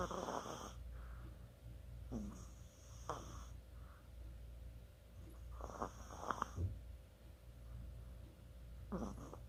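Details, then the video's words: Sleeping Chihuahua snoring, recorded 24 October 2020: breathy, rasping snore bursts recur roughly every three seconds, each followed by a quiet pause, with a faint steady hum underneath. "치와와의 코골이"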